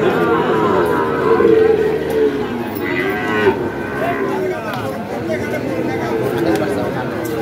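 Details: Sahiwal breed bulls and calves for fattening, Ambari cattle market, Dinajpur, 18 September 2023. A sustained low moo opens the clip, followed by fainter overlapping lowing amid a chattering crowd and traffic.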